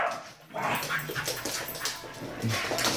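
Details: A Basenji that wants to play gives short, rough, breathy vocal bursts with a few low yelping notes.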